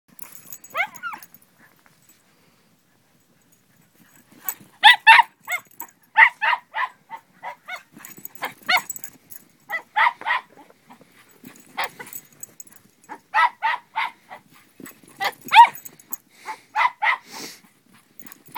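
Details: Dogs playing in deep snow on a homemade race track built by three boys while snowed in; short sharp barks come in bursts after a quiet start, with scattered yips and snow sounds between them.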